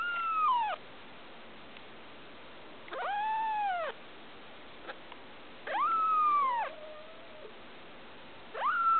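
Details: Blue Persian female kitten, a day short of two weeks old, gives loud arching meows, each falling at the end and lasting about a second, repeated roughly every two and a half seconds, with quiet pauses between.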